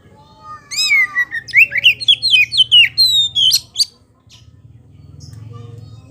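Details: Kacer poci (Oriental magpie-robin) singing a lure song: a soft opening whistle, then about twelve loud, quick, sweeping whistled notes stepping downward over three seconds, with a low background hum.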